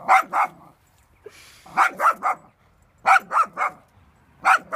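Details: A dog seeing a cow for the first time gives rapid barks in clusters of two or three, with brief gaps between clusters and a faint hiss of background noise.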